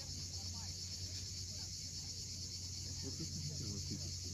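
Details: A sunset chorus of cicadas at Cape Fiolent, Crimea: a constant high-pitched hiss-like drone over a low, rolling sound of sea waves.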